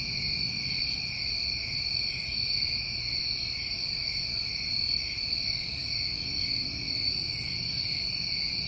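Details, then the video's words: New England summertime crickets in a dense, continuous chorus: steady shrill trilling in two high bands, unbroken throughout, with soft airy pulses higher up every second or so. "Tinnitus Masking With Crickets"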